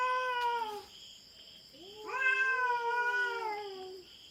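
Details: An intruding feral cat confronts a black cat on farm cats' turf in the Philippines, producing long, quavering harmonic wails. Two voices overlap, one lower and sliding downward. A constant shrill background drone runs throughout.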